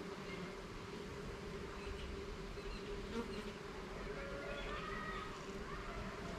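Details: Honey bees buzzing in a continuous drone while a garden hive's frames are checked, with occasional louder passing buzzes of single bees and light tapping of equipment.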